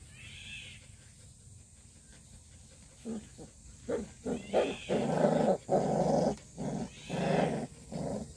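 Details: Purebred black Jindo dog making rough, drawn-out growling calls. After three quiet seconds they start as short pulses, then swell into longer sustained rumbles that repeat at an uneven pace of roughly one and a half per second.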